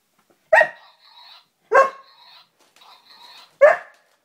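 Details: Border Collie meeting a robot dog gives three sharp, loud barks spaced about one and a half seconds apart. Between them come short electronic beeping tones, ending with a quiet room.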